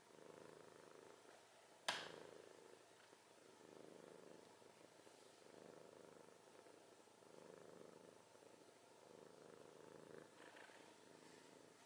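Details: Sleeping cat snoring: quiet, regular breathy rumbles repeating about every one and a half seconds under a soft hiss, with one sharp knock early on.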